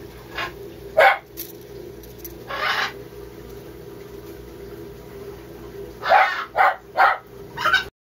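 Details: Sugar glider giving short, sharp yapping calls in scattered bursts, like a tiny dog's yip, around the birth of young, only noticed once the parent let go.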